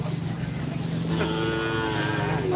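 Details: Racing cattle at a Kerapan Sapi bull race ground in Asemanis, Pamekasan, Madura, East Java, Indonesia. A steady, low, drawn-out moo with rich harmonics runs through the clip, while crowd chatter and a constant high-pitched whine sit in the background.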